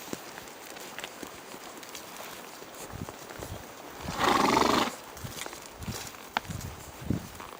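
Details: Horses on a forest ride, a two-year-old Swedish Warmblood led as a hand horse beside a ridden coldblood trotter; one loud, harsh whinny lasting under a second midway, amid steady hoof clopping and rustling footsteps outdoors.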